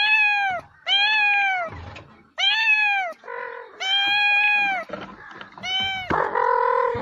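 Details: Cat meowing repeatedly, from a Kazakh children's educational compilation: about six clear, slightly rising-then-falling meows in quick succession, with some rougher overlapping calls and faint background noise.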